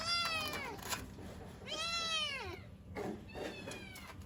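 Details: Kittens calling for their mother: two clear descending meows, the second longer and bending down at the end, followed by quieter shorter cries and faint rustling.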